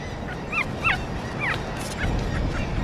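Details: An Arctic fox mother on a tundra Arctic island in spring or summer calls softly to her cubs in the den: three or four soft, whining, arched calls, about half a second apart, over low rumble and faint music.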